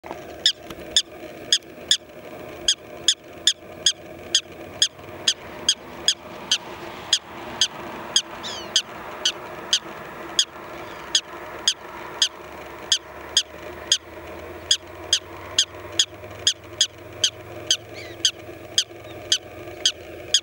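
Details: A prairie dog gives sharp, high chirping barks, repeated about twice a second as an alarm, upset at a person standing close to its burrow home.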